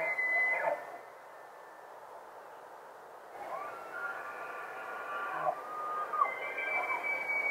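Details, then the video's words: Rutting bull elk in the wild at Rocky Mountain National Park, stereo recording: a short high whistle at the start, a quiet gap, then a sustained shrill whistled bugle holding steady for about three seconds before a final thin note. "ELK BUGLING IN ROCKY MOUNTAIN NATIONAL PARK"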